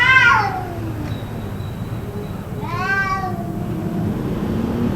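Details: Possibly fighting cats, yowling continuously for about two hours: a loud falling wail, then after a pause a second rising, arched cry, with low rumbling background noise throughout.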